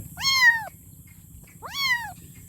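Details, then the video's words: Calling for its mother, a kitten gives two rising-then-falling meows about one and a half seconds apart against a faint steady background hum. "Meowing Kitten For Mom"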